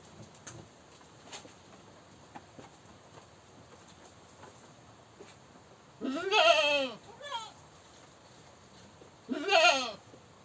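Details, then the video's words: Goat screaming twice: two loud, harsh, wavering bleats a few seconds apart, the first trailed by a short softer cry, over a background of faint clicks and knocks. "Goat Screaming"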